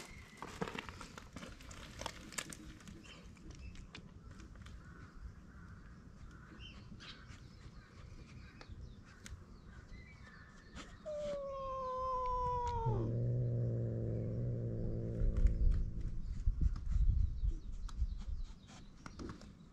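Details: Stray cats on a cat island at snack time, where a ginger tabby boss snatches the other strays' treats; after rustling and chirping birds, one long harmonic cry slides down in pitch, then gives way to a low, moaning rumble.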